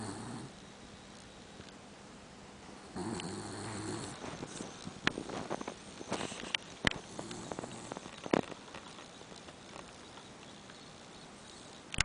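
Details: A sleeping dachshund mix snoring: a short low snore opens, then a longer, throaty rumbling snore comes after about three seconds, followed by clicks, scratches and rustling of bedding.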